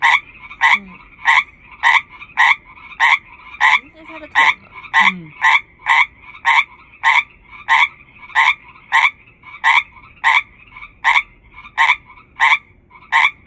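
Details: Frog calling with all its strength amid a chorus of hundreds, producing a long run of loud, evenly spaced croaks roughly every half second, over twenty in total, with brief human voices partway through.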